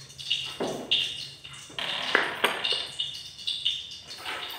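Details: Angry pet monkey giving sharp, high-pitched squeaky cries in quick irregular bursts, several per second, each a short harsh chirp with bright upper tones, against a quiet indoor background.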